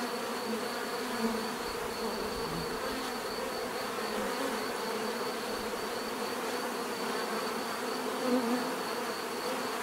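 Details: Steady massed buzzing of bees, a constant layered hum, with one bee passing close near the end in a short, louder swell.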